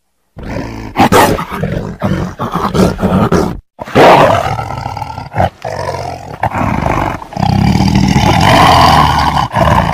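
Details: Rough, choppy tiger growls and short roaring bursts in quick irregular succession, ending in a longer sustained low rumble.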